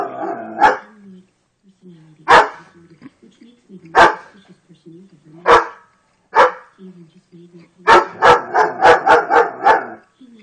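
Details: A German Shepherd barking at an electrical socket gives single loud, deep barks, then breaks into a quick burst of repeated barks.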